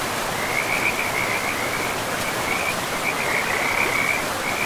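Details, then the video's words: Forest river with frogs: quick, high-pitched pulsed trills in short overlapping bursts, about three per second and irregular, almost unbroken, half-buried in a steady roar of flowing water. "River and Frogs sleep sounds 10 hours"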